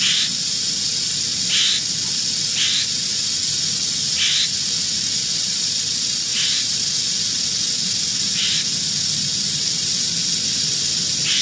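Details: Continuous dry buzzing rattle of an eastern diamondback rattlesnake found in Central Florida, steady and hiss-like, with short high chirping sounds breaking in about every two seconds and soft low background rumble.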